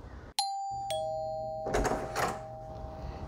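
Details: A two-tone doorbell chime rings indoors, its tones sustained, with faint background rustling and no animal voice.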